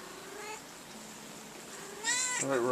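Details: Domestic cat resting in a drawer of black umbrella nylon gives a short, bright meow that bends downward at the end, after a stretch of quiet room noise and a faint earlier call.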